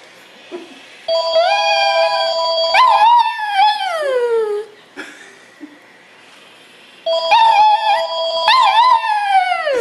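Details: Black and white pet Shih Tzu dog meowing like a cat in response to a ringing phone: long wavering cries that slide downward in pitch, in two bouts, over steady electronic ringing tones.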